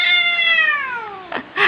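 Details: Angry domestic cat letting out a long, harsh meow that starts high and sinks slowly in pitch, ending with a short rustle and a brief second squawk.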